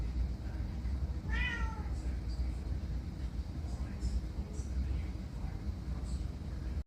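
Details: One short meow from a domestic cat near the start, a bright harmonic note bending downward, followed by several seconds of steady low rumbling background noise.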